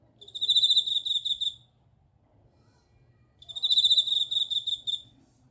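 A bell cricket sings two bright, ringing trills, each a little over a second long, separated by a pause.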